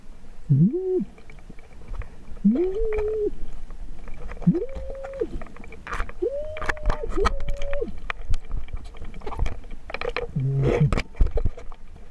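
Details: Humpback whale, a mother and calf met by snorkelers off Amami Oshima, Kagoshima, Japan. About five moaning whoops sweep upward, then hold a steady tone, spaced roughly two seconds apart, with scattered clicks and water noise.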